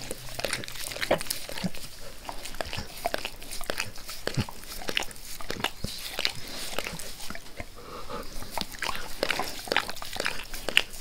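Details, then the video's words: A dog named Max eagerly licking a person's face, close up and without speech, gives rapid wet slurps and tongue clicks that come in quick uneven bursts throughout. "Max Licks | Face Part Tres | ASMR DOG LICKING"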